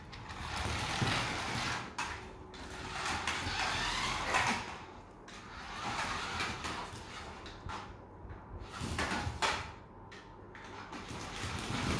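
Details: Whirring and rattling of a remote control car rolling around a small room, in uneven bursts with short pauses, with no animal voice.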